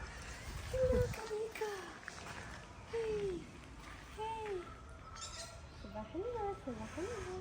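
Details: Stray cats being fed outdoors, giving a run of short arched meows, some rising then falling, spaced through the stretch, while people talk softly and greet them nearby.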